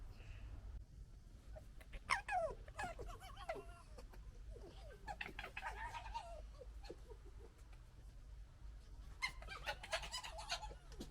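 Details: Three young foxes of one litter squabbling and fighting, giving bursts of harsh, rasping gekkering chatter with short yelps, loudest around the middle and again near the end, over a steady low background hum.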